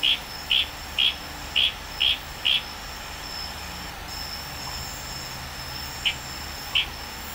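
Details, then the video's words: Wild Litoria frog from Tanimbar, Indonesia, at night in tropical forest: a quick run of six sharp, high notes, a pause, then two more spaced notes, over a constant chorus of crickets and other night insects. "Tanimbar FROG SOUNDS"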